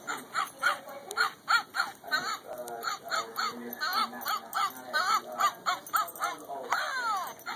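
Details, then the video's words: Border Collies singing along to Jingle Bells at Christmas 2011, indoors as pets: a rapid run of short, strained, bending yelps and yowls with wavering pitch, several per second, over a steady electronic hum. "Border Collies Christmas Jingle Bell Singing Dog"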